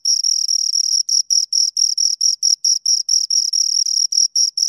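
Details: Close, shrill chirping from two crickets: longer pulses at first, then shorter evenly spaced chirps, a high bright tone in a quiet background.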